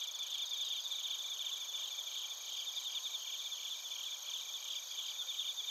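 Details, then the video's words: Bell crickets and field crickets chirping together in Narita, Chiba Prefecture, Japan, recorded on a TASCAM Portacapture X8: dense, high, steady ringing trills layered into a continuous shimmering chorus, with rapid pulsed notes throughout and no other sounds. "スズムシとコオロギの鳴き声 - Chirping of crickets"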